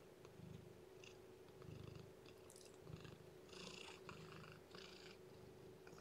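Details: Domestic cat purring during the feeding and warming of a lethargic, underweight newborn kitten indoors: a low, steady rumble pulsing in rhythmic waves, with soft wet suckling and rustling bursts above it.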